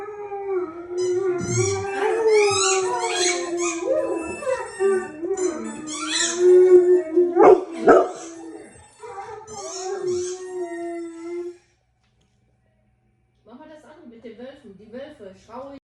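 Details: Pet dog howling at home: a long, steady, held howl with rich overtones runs for about eleven seconds, broken by a few sharp bark-like bursts midway, then a short silence before a softer, wavering, rising-and-falling howl resumes.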